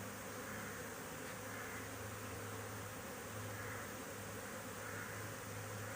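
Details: Honey bees at Thal Honey bee Farm, recorded 20 January 2021: a steady, low droning hum that holds unbroken throughout, set against a constant broad hiss of background noise.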